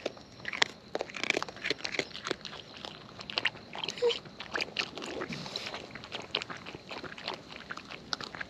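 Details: Wild raccoons eating at close range: dense crisp crunching and clicking bites in quick irregular bursts, with a few louder snaps standing out throughout.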